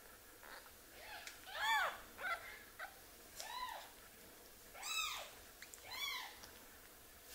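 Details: Motherless baby kitten being hand-raised indoors cries in a string of five arched, wavering mews spaced about a second apart, each rising and dropping in pitch, over a quiet background.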